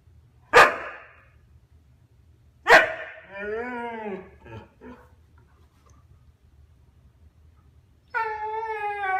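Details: Husky, a year and a half old, chattering at his ignoring younger brother: two sharp barks, a falling then rising moaning yowl with short grunts, and after silence a sustained steady-pitched whine-howl.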